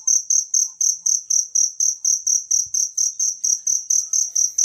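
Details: Wild cricket call used to tutor songbirds: loud, shrill, high-pitched chirps about four per second, evenly spaced and ringing, over a few faint low knocks.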